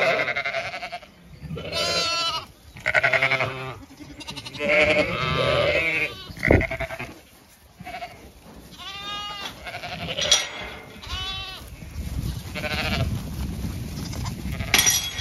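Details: Zwartbles sheep flock on a regenerative farm in County Kilkenny, Ireland, moving to a field for cool late afternoon grazing; repeated wavering bleats from several sheep, some high and some deeper, overlapping, with a person calling them on.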